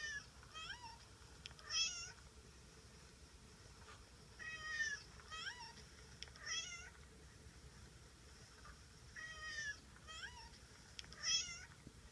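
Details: Domestic cat giving repeated meows in a quiet room, clustered in pairs and trios: bright, quavering calls that bend up and down in pitch, with short pauses of a few seconds between groups.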